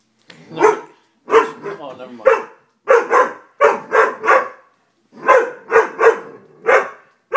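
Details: Steady series of sharp, full Dobermann barks, roughly one and a half per second, in groups of three or four with short pauses between groups.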